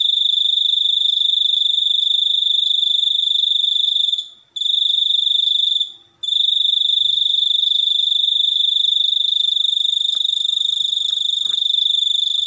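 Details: A cricket's unbroken ringing trill, high and even, stopping briefly twice around four and six seconds, then resuming; faint scattered clicks sit in the background.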